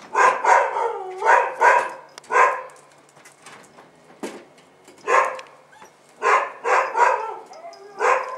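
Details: Bull Terrier puppies out for the first time, 18 January 2015, give short bursts of high yelps and squeals in clusters, a quiet gap in the middle, then more yelping bursts.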